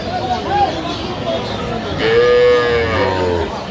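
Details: A cow with her calf at the Aftabganj cattle market in Dinajpur on 15 November 2025. She gives one drawn-out, steady moo of about a second, set against market crowd chatter and a man speaking nearby.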